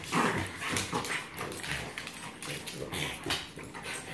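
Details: Three pet dogs play-fighting two against one: Braun the Yorkie and Dyna the Black Lab against Molina the French Bulldog. Rough, breathy growls and snorts overlap with scuffling noises, a brief whine near the start, and faint human voices.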